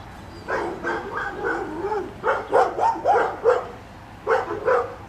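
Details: Excited dog yips and whines during retriever training on water, where black Labrador Retriever Finn attempts a double while a five-month-old puppy, Breck, serves as a distraction; a rapid run of high, bending yelps comes in bursts, then pauses and resumes.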